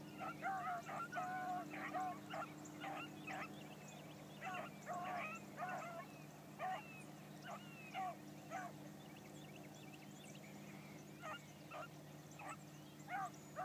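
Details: Young female Blackcreek hound running a trail for the first time one morning, giving spaced bursts of bawling bays, some close together, some seconds apart, with a constant low motor drone beneath.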